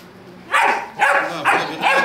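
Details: German Shepherd barking: four sharp, harsh barks spaced about half a second apart, each a loud noisy burst, with faint background hiss between them.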